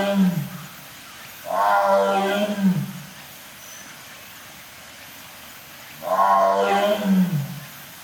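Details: Captive lion at a Japanese zoo giving two powerful drawn-out moaning roars, each rising then sliding down in pitch, about four and a half seconds apart, with quiet between them.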